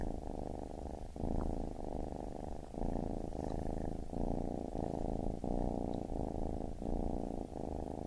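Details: Baby kitten purring in long low rumbling phrases, each breath segment lasting about a second with quick gaps between, steady and soothing.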